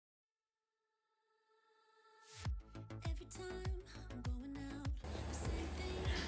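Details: Silence, then electronic music fades in with rhythmic plucked and percussive beats, growing into a fuller, noisier mix.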